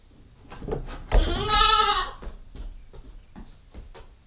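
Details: GoPro stakeout of a nine-week-old female Nubian goat kid: one rough, breathy bleat at mid-clip over clattering, with faint high bird chirps in the background.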